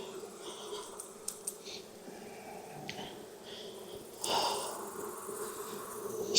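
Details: Honey bee colony in a Texas beehive during an inspection with a smoker on a hot afternoon after weeks of rain. A constant low hum runs throughout, broken by sharp clicks and a louder rustling burst of handling noise near the end.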